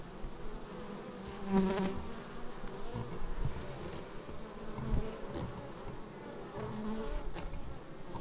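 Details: Bees arriving at a beehive, recorded up close on a Xiaomi Yi action camera: many overlapping droning buzzes that waver in pitch as insects fly past, over a steady low hum. A slightly louder pass comes near the second mark.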